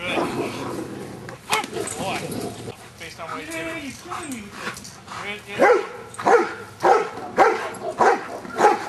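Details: Giant Schnauzer named Luther in Schutzhund stick hit training, being accustomed to stick hits; speech and handling noise first, then a run of loud, regular barks about every half second over the last four seconds.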